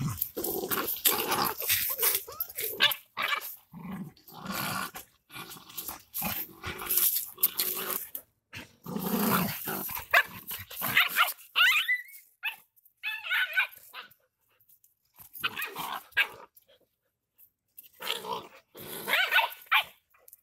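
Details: Two fighting Rottweilers, Tiger and Shary, growl and snarl almost without pause in rough, noisy bursts, with scuffling and a brief gap before the snarling resumes.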